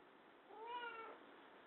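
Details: Domestic cat named Chiro, which likes sitting in a baby chair where it settles down, gives a single short meow with clear stacked harmonics, rising then falling slightly, over steady low hiss indoors.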